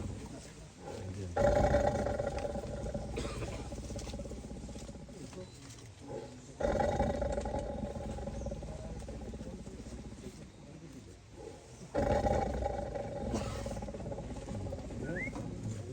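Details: Tiger caught in a cage in Wayanad, giving deep, rumbling growls in three loud bursts roughly five seconds apart, each fading into a lower grumble, while people talk nearby.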